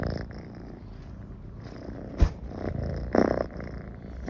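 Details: Domestic cat purring, a sound it makes when comfortable near people. A continuous deep, buzzing rumble with one sharp click just after two seconds and a louder breathy swell around three seconds.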